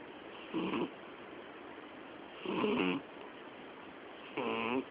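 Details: Twelve-year-old female cat Miyabi sleeping and snoring as loudly as an old man; three rough, buzzing snores with wavering tonal overtones arrive about every two seconds, between them only soft background hiss.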